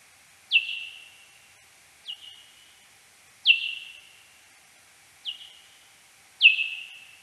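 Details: Search-phase calls of a serotine bat, slowed tenfold, recorded 13 April 2022 in a wooded garden in central France; five descending chirps with drawn-out tails, alternating stronger and weaker, roughly every one and a half seconds.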